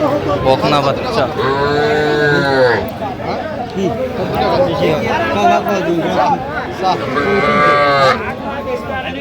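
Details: Young Sahiwal bulls and heifer calves for sale at a Kushtia market in Bangladesh on 8 October. Two drawn-out, arching moos rise then fall, one early and one near the end, under constant bargaining chatter and crowd voices.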